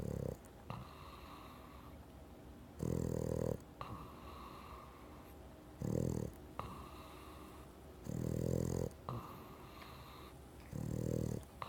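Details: Sleeping Boston Terrier snoring indoors: loud, rough harmonic-rich snores roughly every two to three seconds, each lasting about half to one second, separated by quieter wheezy breaths; five snores heard.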